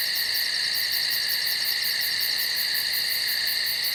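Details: Nocturnal woodland insects in full chorus, a constant layered buzzing drone joined by a sharp, fast, evenly pulsed high-pitched ticking trill that never pauses.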